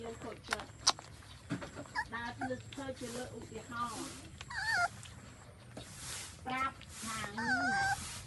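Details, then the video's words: Newborn puppies suckling their mother's milk give thin, wavering high whines in short bursts, several bending up then down, between soft rustles while a person talks quietly nearby. "Newborn Baby's Dog drink Mum's milk & Breastfeeding"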